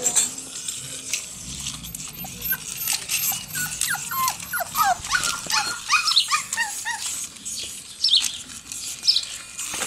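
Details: Five six-week-old Jack Russell Terrier puppies attacking a remote-control toy cobra in a backyard setting; rapid high whining yelps and squeals bunch together mid-clip over a steady hissing mechanical noise, with a few sharp squeaks near the end.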